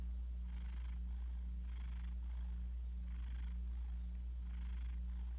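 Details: Domestic cat sound asleep and passed out beside its owner, recorded on a phone: soft, breathy snoring in even puffs about once every second and a bit, over a steady low electrical hum.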